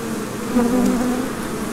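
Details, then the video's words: Many busy bees making honey, heard as a dense, steady, low droning buzz. A brief louder hum swells as one bee passes close. "The sound of many busy bees"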